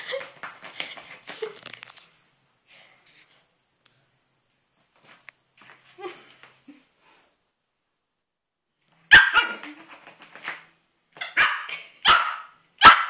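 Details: Melo, a five-month-old Pomeranian, goes wild and attacks a carpet indoors. Quiet scuffles and faint sounds are followed by a late burst of sharp, high, yappy barks in quick, uneven succession.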